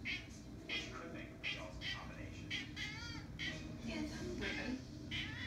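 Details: Jimi, a Ragdoll cat, meowing to alert its owner that hummingbirds have arrived at the feeder; short repeated mewing calls about every second, some with wavering pitch, over low background hum.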